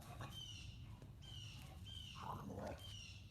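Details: A smaller dog in high-intensity play gives loud, strained, unfriendly vocalizations: thin high whines sliding across the clip and a harsher growling burst near the end, over a steady low rumble.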